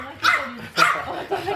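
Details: French Bulldog puppy in Oyabe, Toyama, Japan, on the day it leaves home and parts from everyone; two sharp, high yapping barks about half a second apart, then a softer, shorter third sound over a quiet indoor background.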